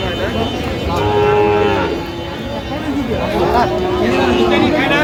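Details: Sahiwal bulls and calves for sale at a Comilla cattle market in Bangladesh, recorded 9 January: two drawn-out, level lowing moos, the second longer, with men haggling over prices close by.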